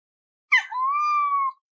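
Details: Pet cat answering its owner with a single clear meow: a brief rough onset, then a smooth, steady, slightly arched tone lasting about a second, ending cleanly with no other sounds.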